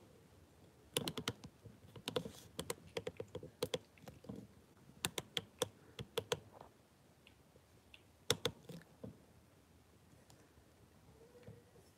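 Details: Bursts of sharp keyboard typing and clicking in a small indoor room, with pauses between runs of keystrokes and no animal voice.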